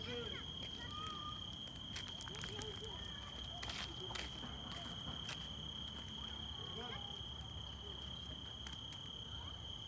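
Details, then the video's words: Crickets on a summer day in 2024 around Shelek and Chilik: a steady, high, unbroken trill runs through the whole recording, while footsteps, rustling and scattered human voices move over it. "Звуки лета 🌳🦗. Сверчки"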